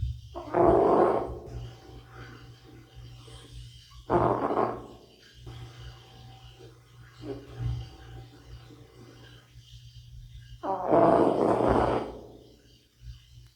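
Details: Sleeping older house cat Bota snores in a slow rhythm, four coarse rasping breaths roughly every three to four seconds, each louder then fading, over a constant low droning hum.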